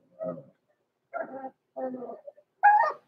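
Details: Blenheim Cavalier King Charles Spaniel puppies aged six weeks, kept in a pen overnight, make three low, grumbling whimpers about half a second apart, then a higher, sharper yelp.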